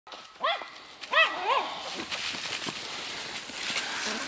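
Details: Golden Retriever named Bella, a dog up for adoption, giving three short, high, rising-and-falling whining yelps within the first second and a half, followed by rustling and faint outdoor background sounds.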